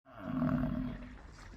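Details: Indian bison, a single deep roaring bellow lasting about a second and a half, strongest early then fading, low and rough with a steady tone underneath.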